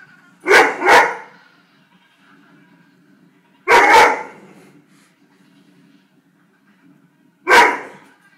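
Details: A Weimaraner barking at penguins on TV gives short, loud bursts, a quick double bark followed by single barks; Weimaraner.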